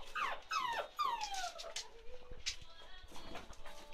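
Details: Whining from a 47-day-old chocolate Labrador Retriever puppy in Ruby's litter: three or four sharp, sliding whimpers that drop in pitch, close together at the start, then quieter squeaks and soft background noise.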